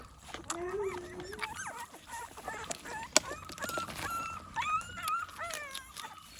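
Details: Morning feeding routine of American Pit Bull Terrier puppies eating food with supplements; a chorus of pups gives a low drawn-out whine, then many rising, wavering high whines and yelps, with sharp knocks and clatter between.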